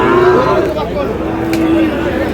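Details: Sahiwal bull calves being bought and sold at the start of the Aftabganj cattle market in Dinajpur on 4 August. A short steady low moo, then a longer level one about a second later, over men's voices and market chatter.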